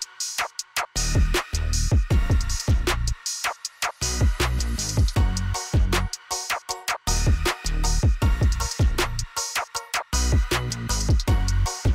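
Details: Loud electronic music with a punchy drum-machine beat and deep bass fills throughout, with no animal sound.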